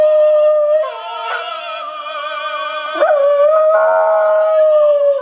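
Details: A West Highland White Terrier howls in long, wavering, sustained tones, singing along to the opera aria "O Soave Fanciulla".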